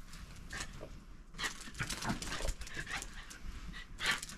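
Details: Three Shiba Inus, a parent and offspring living freely in a backyard, play-fight quietly, going for each other's cheeks rather than the neck, with soft, breathy growls, snuffles and quick scuffling noises.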